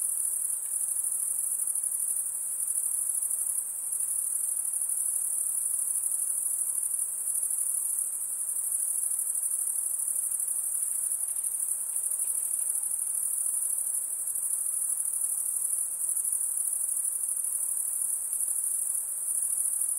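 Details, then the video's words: Relaxing high-pitched insect chorus by a calm lake: a constant piercing trill at a single very high pitch, never pausing, over a soft background hiss. "Relaxing high pitched INSECT sounds"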